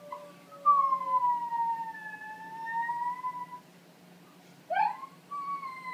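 An Italian Greyhound howls in long, wavering tones, then gives a sharp rising yelp and another held note.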